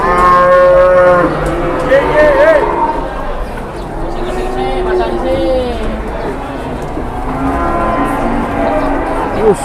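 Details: Large cattle raging out of control while being unloaded from a truck. Loud, drawn-out moos waver in pitch, rising and falling, several over ten seconds, over background noise and voices.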